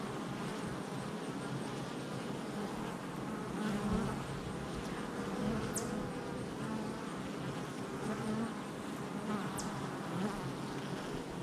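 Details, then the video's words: Hive entrance activity of honey bees on July 22nd, 2024, a constant low buzzing chorus of numerous bees, with passing individuals briefly louder and two faint high clicks. "Honey Bee Hive Entrance Activity"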